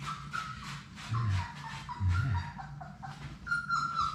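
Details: Six Labrador Retriever puppies from Sadie's litter playing together in their puppy play room: a string of thin, high whines, short sliding whimpers rising and falling, with pattering paws and a steady low hum beneath.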